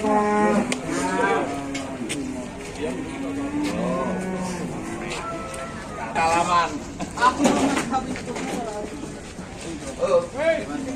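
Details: A jumbo bull at an Indonesian livestock market gives low, harmonic moos early on, among a busy crowd of talking voices and market bustle.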